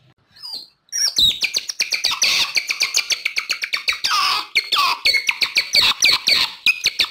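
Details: A lure recording for wild otters: after a short thin squeal, a steady stream of shrill, quick chirps and twittering squeaks runs without a break.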